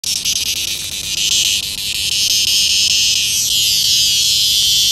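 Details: Noisy cicada giving a loud, shrill, continuous buzz that fills the upper register, pulsing slightly early on and then swooping briefly downward in pitch before settling back into a steady drone.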